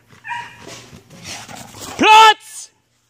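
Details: Belgian Malinois named Ares letting out one loud, clear, rising yelp lasting a fraction of a second, after softer murmuring sounds. Nothing follows but silence.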